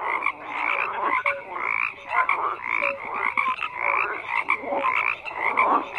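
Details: Many frogs calling together, a steady wash of rasping croaks with scattered short whistled notes and quick clicks, loudness swelling and dipping every second or so.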